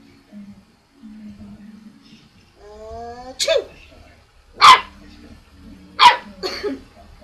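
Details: A pet dog named Abby, barking for the first time at her owner's sneezes: three loud, abrupt barks about a second and a half apart, following a woman's calling voice and mock sneezing.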